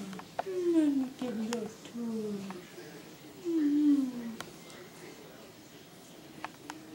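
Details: Sidney, a tiny dwarf Maine Coon kitten, indoors: a few drawn-out, falling, nasal mews, each about half a second to a second long, clustered in the first four seconds, with a woman speaking softly and small taps around them.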